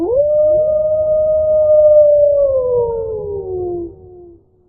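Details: Single long wolf howl, quickly rising then holding a smooth level tone for about three seconds before slowly falling away; presented as a real recording in 8D sound.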